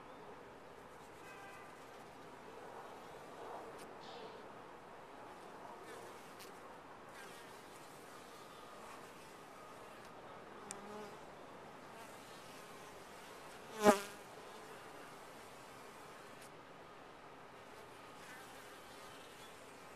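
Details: Softer hum of honey bees at a top-bar hive, with one bee zooming close past about two-thirds through, a sudden loud whine that swells and fades quickly, plus light tapping noises.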